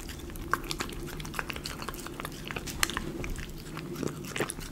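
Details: Close-up of a Miniature Schnauzer eating premium chicken pot pie dog food indoors: sharp crunchy bites and chewing clicks every fraction of a second over a low room hum.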